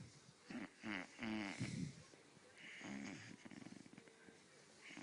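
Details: A male Great Dane puppy gives low, wavering moans and snorting grunts in short bursts while his achy joints are being massaged.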